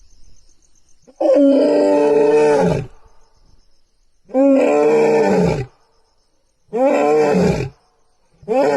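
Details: Lion roaring: three loud, drawn-out moaning roars, each lasting about one and a half seconds with rich tonal harmonics and a falling end, separated by brief quiet gaps, with nothing else clearly heard in between.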